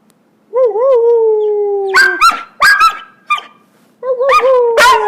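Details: Pet puppies practicing howling, the older brother teaching the younger: a long wobbling howl that starts with quivers then slides gently downward, interrupted by sharp yelps and barks, then another rising, wavering howl.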